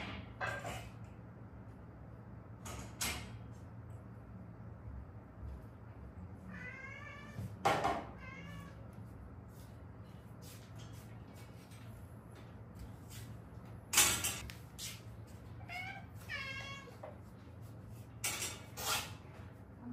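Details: Mother-and-daughter stray cats rescued in Haeundae after an injury that healed untreated; repeated short wavering meows in clusters, interspersed with loud clicks and knocks like cupboard or door sounds, over a low hum.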